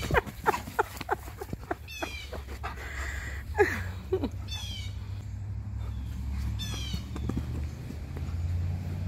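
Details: Play-wrestling Husky and Malamute in a morning tussle: quick scuffling bursts, then a drawn-out falling whine-like vocal near the fourth second, with birds chirping repeatedly around them.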